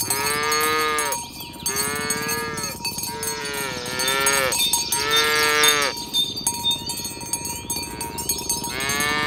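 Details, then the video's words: Tame cows herded in the morning on a village road toward the pen: repeated arched moos roughly every second or two from the herd, layered with ringing cowbells and jingling. "Suara Sapi Moo"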